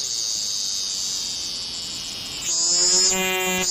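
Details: A cicada singing close by gives a steady, high, hissing buzz that turns harsher and more rasping near the end.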